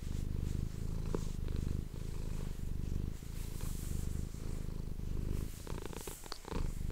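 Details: Purring domestic cat, intimate ASMR recording indoors: low, rapid pulsed rumble rising and falling with the breath, a short lull around three seconds, then a few light rustling scratches near the end.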